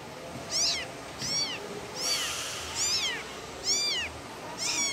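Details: Six piercing kitten meows, each a short rising-then-falling wail, come a little under a second apart as the young cat calls its mother. Soft hiss sits beneath.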